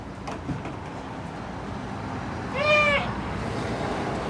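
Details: Male goat whose call is said not to fit its looks, heard giving one short, wavering, nasal bleat near the end, preceded by low background noise and faint clicks.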